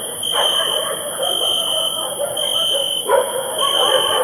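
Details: Several dogs barking at night in two bursts, at the start and near three seconds, over a steady high-pitched chorus of crickets that rings on without pause throughout.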